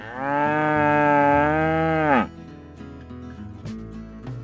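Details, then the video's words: Cattle at a Brazilian cattle auction where bulls, cows and calves are traded: one sustained, rich, slightly wavering moo of about two seconds, then quieter murmurs and a few knocks. "Boi Vaca e Bezerro"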